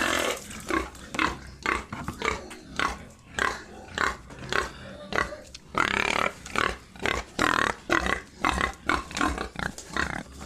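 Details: Pigs at a farm in Assam, India, with repeated short, noisy grunts and squeals in quick, uneven bursts, some calls louder and longer, carrying on throughout.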